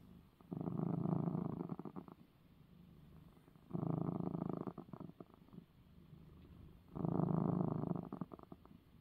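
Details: Male domestic cat purring after getting his eye medicine, three loud low rumbling purr phases, each about one and a half seconds long, alternating with softer in-breath rumbles in a quiet room.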